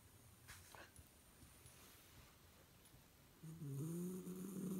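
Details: Female Shiba Inu napping indoors in the daytime with her eyes open, relaxed in an odd-looking pose. Quiet breathing at first, then a loud droning snore with a whining, slightly rising tone fills the final second and a half.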